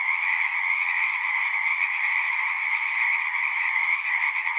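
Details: Frogs calling all at once outdoors, their croaks merging into a constant buzzing chorus. The sound is strongest in a high, bright band and rides a lower supporting band, with only slight flickers in loudness.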